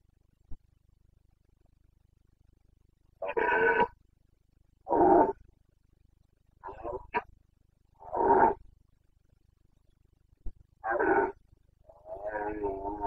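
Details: Red deer stag of the Carpathians, Bucovina, Romania, breeding season, 29 September 2022, giving a series of six hoarse, guttural roars spaced one to two seconds apart, the last drawn out, over a low steady hum.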